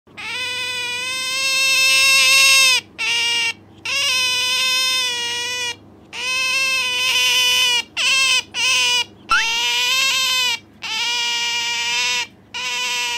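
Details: Pet otter, Bingo or Sakura, calling as the two are compared for noisiness: a run of shrill, strongly harmonic squeals, each held one to three seconds at a steady pitch, broken by short gaps and quick clipped chirps.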